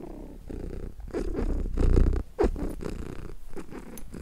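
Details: Contented domestic cat purring steadily, a deep low rumble pulsing a little over twice per second, with brief louder swells near the middle.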